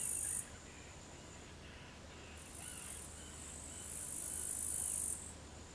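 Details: An upland green bush-cricket (Tettigonia cantans) sings in loud, high, buzzing bursts over a faint low hum in the afternoon at 15:20 on 4 August 2013 in Savonlinna, Finland.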